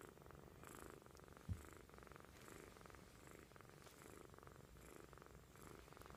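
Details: A tired kitten, fast asleep, snoring indoors: soft, low rumbling breaths that swell and fade in a steady rhythm about once per second, with one brief louder bump partway through.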